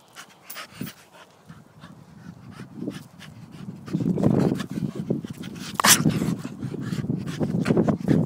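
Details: Staffordshire Bull Terrier at play, giving rough, low grunting and panting bursts that grow louder and denser after the midpoint, mixed with sharp broadband thumps and clicks from movement.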